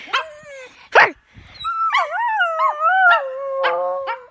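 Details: Pet dog giving odd sounds at home: two short yelps open, then a long, wobbling, howl-like whine that bends up and down before settling into a steady held tone, broken by a few sharp yips.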